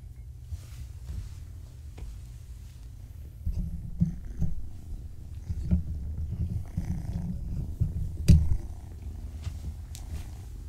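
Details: Kittens born March 14, 2017, woken in the morning, purr in a low, steady, rumbling drone, broken by a few soft bumps and rustles.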